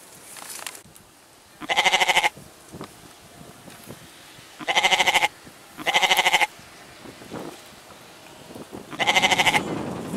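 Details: Goat repeatedly bleating, four tremulous harmonic cries each around half a second long at uneven intervals, with some faint rustling and low background noise between calls.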